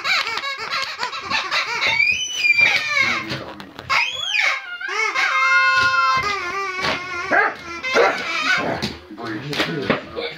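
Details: An 8-month-old Doberman gives drawn-out, rising and falling whines and yelps over people talking and laughing.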